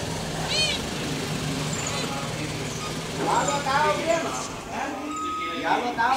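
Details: Leopard cubs in the wild give high, thin mewing calls with rising-falling, harmonic-rich arcs: one near the start, then a cluster of several shorter mews midway and more toward the end. People talk throughout, over a low engine hum.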